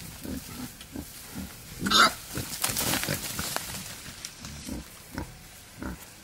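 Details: Wild boar in natural surroundings, a male courting a female, makes short low grunts in a loose series, with a louder, harsher burst near the middle and crackling noise.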